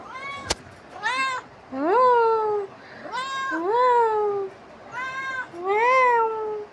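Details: Domestic cat pestering its owner, repeating plaintive meows that swoop upward and then sag, about one every second, after a sharp click at the start.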